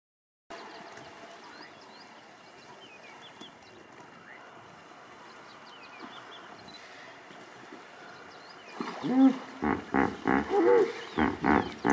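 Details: Hippopotamuses crowded into a shrinking pool in the Serengeti in 2019, where water was scarce but still enough for each to find a wet spot. A quiet stretch gives way to a rhythmic series of deep, pulsing grunts and honks.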